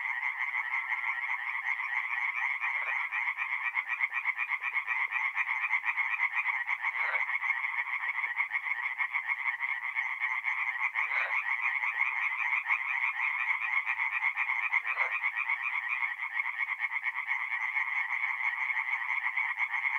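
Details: A continuous loud chorus of tree frogs at a forest pond at night in mid April, north-east Italy: rapid, buzzy pulsed croaking throughout, with a few brief, sharper calls standing out every few seconds.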